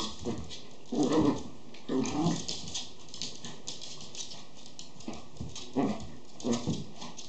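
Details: Schipperke puppies giving short whiny yelps in a small room, brief harmonic cries about once a second in uneven bursts, separated by quiet stretches with faint rustling.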